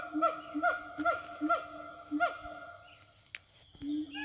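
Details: Forest siamangs answering each other as they call to companions: a run of strong, hoarse, harmonic hoots about every half second for two seconds, then a pause and another hoot, over a constant high insect hum.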